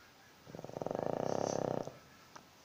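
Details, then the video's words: Pug snoring, its noise likened to a Bullet motorbike: a rapid fluttering rattle of tightly packed pulses lasting just over a second, rising and fading, then a faint tick in a quiet room. "Pug snoring"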